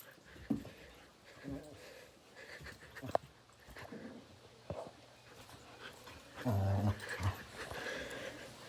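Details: Dog growling and groaning during an intense tug-of-war game: low rumbling growls throughout, swelling into a loud, deep sustained growl around six and a half seconds, with a person talking and bumping noises.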